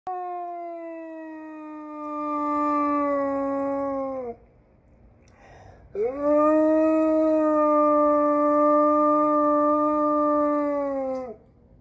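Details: An 8-month-old male wolfdog howls for joy as his mama returns from shopping, giving two long, smooth howls, the first sliding gently downward, the second rising then holding steady.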